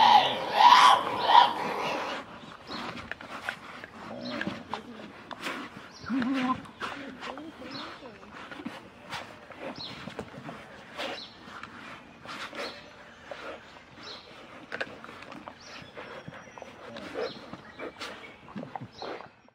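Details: Tasmanian devils feeding at night: one gives a harsh, rasping growl-screech defending its food, followed by quieter crackling and crunching as prey is torn apart and bones are crushed.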